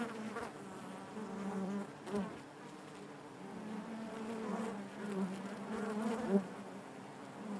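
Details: Inside a honey bee hive, many bees make a continuous low humming drone with layered overtones, softer overall, swelling gently now and then and marked by a few short louder buzzes near the end.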